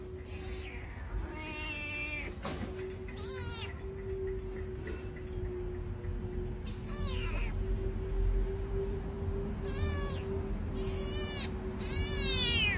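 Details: Dramatic house cat meowing again and again, short harmonic wails of uneven length and spacing, some rising then falling, the last ones loudest, over a steady humming tone throughout.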